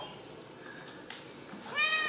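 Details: Home-raised Ragdoll kittens, no cages, central Kansas cattery; after soft indoor rustling, a kitten's high, bright meow rises and holds near the end of the moment.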